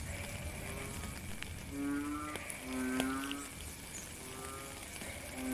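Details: In the rain, a frog gives a few drawn-out, nasal, moaning croaks, three close together midway, against constant rain patter.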